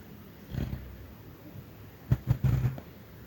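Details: Little Chester, a dog, snoring and dreaming of chasing rabbits; a soft low huff early on, then a quick cluster of three or four short muffled puffs, in a quiet room.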